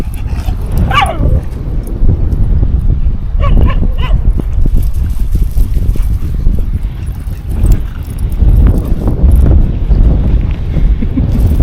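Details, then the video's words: Rescue dogs, a German Shepherd and Livestock Guardian cross and an Australian Cattle Dog, doing zoomies on a windy beach; a few short barks and yips ring out early, then steady wind rumble and surf dominate, with the dogs' movement audible. "Windy Beach Zoomies. WARNING: Barking"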